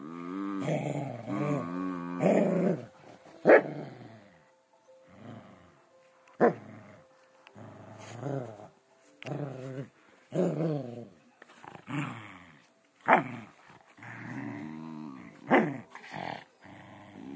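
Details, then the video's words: Scottish Terriers wrestling in play: a run of rough, low growls and grumbles in uneven bursts, with sharp short yelps or barks breaking in every few seconds. "Scottish terriers wrestling"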